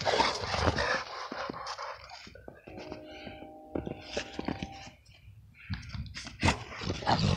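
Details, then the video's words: XL American Bully wrestling in the snow in winter: a steady, droning harmonic growl runs for about two seconds mid-clip, framed by bursts of broadband scuffling and crunching snow, with loud thumps at the end. "XL American bully snow wrestling"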